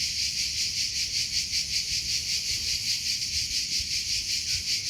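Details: A cricket's natural chirping: bright, high-pitched pulses repeating evenly, roughly three per second, with quiet low-frequency noise beneath.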